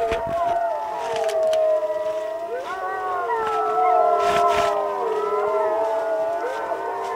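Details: Several Alaskan malamute sled dogs on an Arctic expedition howl together, overlapping sustained wavering tones that slide up and down, forming a continuous siren-like chorus with brief clicks and knocks.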